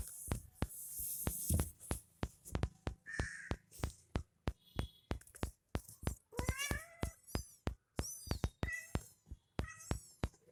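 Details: Mother cat feeding milk to her kitten indoors: a few high, thin mews with stacked overtones near the middle and end, among many sharp clicks and taps, with Hindi speech nearby.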